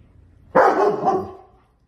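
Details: German Shepherd dog, a pet, giving one drawn-out bark lasting about a second, starting sharply and tailing off, with a quiet background.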